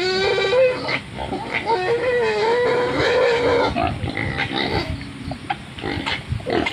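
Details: Wild pig standing in mud: a drawn-out wavering whine lasting about three seconds, followed by short rough grunts and snorts with muddy sloshing in the background.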